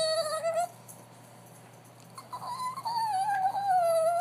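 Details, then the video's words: Funny sound from a dog: a sustained, tonal, rich whine that wavers gently, stops for over a second, then returns as a long, slightly falling whimper. "Funny sound from dog"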